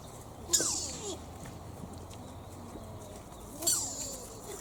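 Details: Deer at Toyama Municipal Family Park, Japan, with its odd call resembling a child's squeaky shoes: two loud, downward-sweeping squeals roughly three seconds apart, each opening with a harsh, hissy attack, against quiet ambient noise.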